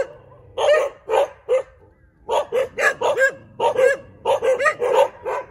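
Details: Many dogs bark on a street. Three spaced barks come first, then after a pause a rapid run of about a dozen sharp, clipped barks in quick bursts.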